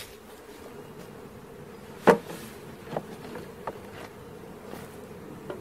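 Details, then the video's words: Honey bee swarm during capture: a soft, continuous drone runs beneath several sharp knocks, one loud tap near the middle and lighter clicks after it. "Catching Bees start to finish bee swarm"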